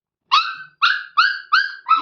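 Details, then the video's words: Hungry Labrador Retriever puppy gives five short, clear whines roughly every third of a second, each a bright tonal cry that bends slightly downward, with silence between. "he is hungry"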